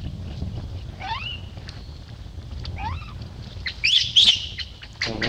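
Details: Baby monkey Lucie, knocked into a hole by Luna, gives a few rising squealed whines, then a louder cluster of shrill screams, with a low background rumble.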